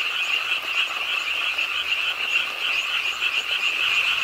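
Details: Short stretch of a rainy-night frog chorus at the pond of Ingye Art Park, Suwon: dense overlapping croaks blend into a constant buzzy drone with slight pulsing, and rain noise underneath.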